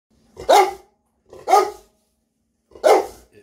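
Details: Two Rottweiler cross Presa Canario dogs barking with excitement at feeding time: three loud, deep barks about one second apart, with a brief quiet gap between each.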